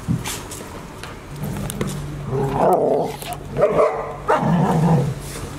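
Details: Golden Retrievers, six-month-old puppies Asahi, Owl, Roa and Chiwa with their mother at Ain village, filmed 28 October 2018; a few short harmonic bark-like yelps in quick succession over a steady low hum.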